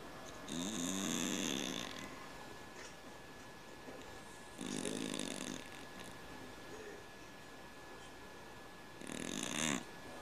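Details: Sleeping cat snoring like a man, giving three rough, buzzing snores of about a second each, spaced roughly four seconds apart, with near quiet between breaths.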